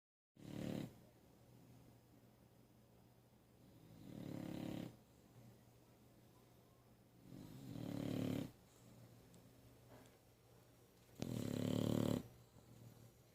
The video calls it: English Bulldog snoring